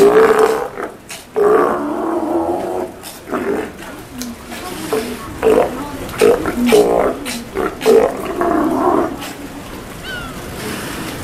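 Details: Feeding time for captive Steller sea lions at Kamogawa Sea World, Japan, 2 January 2017: a series of short, gruff barking roars, several per few seconds, over people talking nearby.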